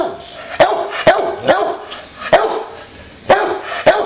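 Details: Playful boxer Bowser barks repeatedly at home, six abrupt barks in four seconds, spaced unevenly with short pauses between bursts.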